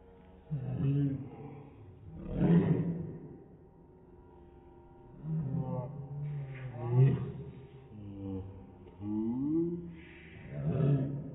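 A dachshund's sneezes, slowed down into deep, drawn-out, groaning bursts.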